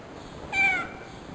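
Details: Female cat giving birth indoors gives a single short, clear meow, slightly falling in pitch and lasting about a third of a second, over a steady high electrical whine.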